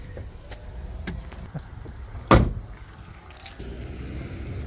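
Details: Inside a vehicle: low engine rumble, a few soft knocks, one sharp loud click like a door or window mechanism, then a steady hum, with no animal calls.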